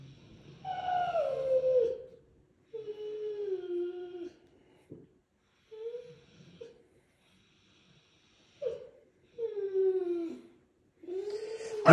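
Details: Deutsch Drahthaar puppy during bench training, long falling whines and short yelps, some howl-like, spaced by brief silences.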